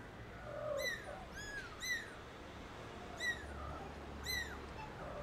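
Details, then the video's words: Newly born kittens out in the garden for the first time cry with short, high, arched meows, about five calls in quick succession over a low rumbling background. "TINY KITTENS go to the garden for the first time and MEOW LOUDLY"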